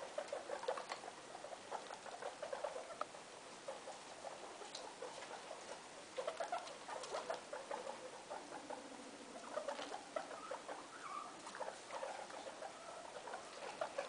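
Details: Guinea pig Loeki, a mother kept indoors with her three young in a room: rapid soft clicking and pattering chatter, scattered brief squeaky notes, and one low drawn-out gliding tone near the middle.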